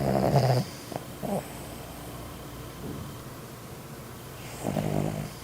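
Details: Dog snoring: two loud, low rumbling breaths, one at the start and one near the end, with a shorter snort in between and quiet room noise in the gaps.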